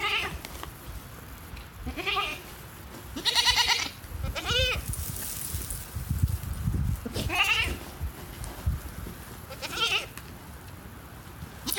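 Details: A female goat giving wavering, quavering chirp-like cries, about six in total, some rising and bending in pitch, separated by pauses with low rumbling noise between.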